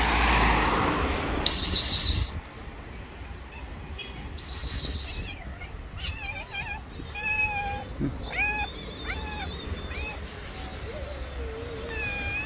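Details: Street cats, a white cat and a tabby, rivals squaring off angrily before a slap; wavering yowls with harmonic bands from about four seconds on, some rising and falling, amid urban noise and short bursts of hissing.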